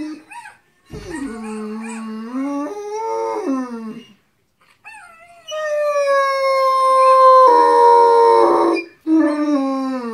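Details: Harlequin Great Dane howls along with videos of howling dogs: wavering, warbling wails, a pause, then a long loud drawn-out howl rising slightly in pitch before a final short cry.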